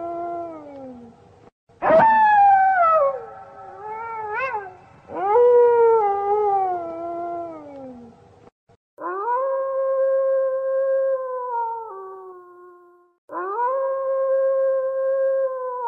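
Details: Arctic wolves in a pack during winter: a group chorus of overlapping, wavering howls with sharp rises and slides, followed by two separate howls that rise, hold level for a couple of seconds and then fall away.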